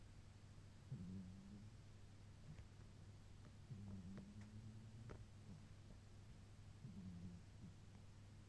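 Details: Torakichi, a sleeping pet cat, snoring softly: low, rumbling drawn breaths roughly every three seconds, each about a second long, over a steady quiet indoor hum.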